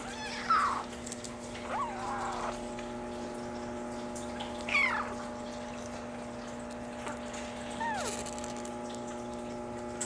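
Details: Maine Coon kitten, a brown mackerel tabby and white male born July 17, gives a few thin high meows, some rising then falling, spaced irregularly over a steady indoor hum with faint clicks.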